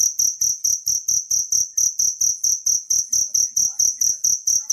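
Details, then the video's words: Shrill, metallic chirps from a wild cricket, recorded for tutoring songbirds, sound in a steady series of roughly seventeen pulses over five seconds against faint background silence. "suara jangkrik alam"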